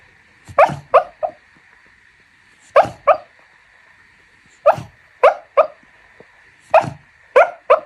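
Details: Dog asleep, letting out soft muffled woofs in quick clusters of two or three, separated by pauses of about a second or two, with a steady faint tone humming underneath.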